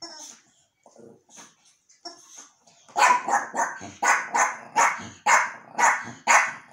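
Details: Archi, a Yorkshire terrier reacting to a new toy, gives soft whines and snuffles, then breaks into a run of sharp, high yaps, roughly two per second, loud and steady to the end.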